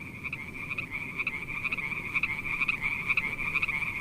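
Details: Night-time frog calls form a steady high buzzing trill, overlaid with bright pulsed croaks about twice per second that grow slightly louder towards the end.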